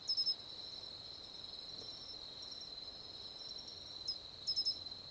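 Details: Matsumushi cricket of the mainland Japanese nominate subspecies singing clear, sharp bursts of two or three quick ringing notes at the start and again near the end, with a continuous high insect drone beneath.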